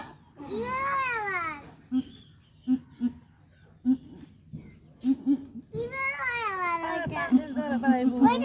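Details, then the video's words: On a goat farm during the birth of the goat Kalli Rani, two drawn-out bleats rise and fall with a wavering tone, one at the start and one near the end. Short clucking pulses and low voices fill the gap between them. "কাল্লি রানীর ডেলিভারির ফুল ভিডিও"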